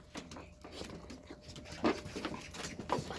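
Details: A puppy being played with, giving quick, irregular breathy bursts, roughly one a second, with a few soft whimper-like notes in a small indoor room.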